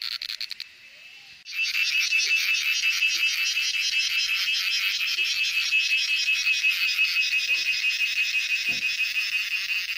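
A cicada sings a loud, continuous buzzing trill that pulses rapidly and rises in after a brief pause.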